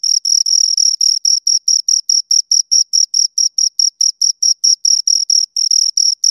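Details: Chirping of two crickets heard up close: high, clean pulses repeated a little more than twice a second in an even, rhythmic beat, each chirp short and bright, background otherwise silent.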